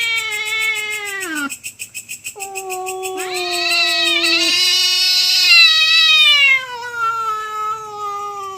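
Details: Two cats fighting over territory at night, overlapping drawn-out yowls: a falling wail, a brief pulsing pause, then a low growling tone beneath a rising, shrieking howl that slowly descends.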